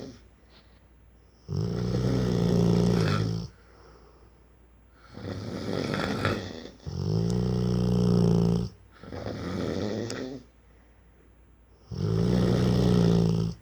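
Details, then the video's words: A four-year-old Rottweiler snoring while asleep indoors: deep, rumbling breaths about two seconds long, four loud snores separated by quiet pauses of one to two seconds. "The snoring rottweiler"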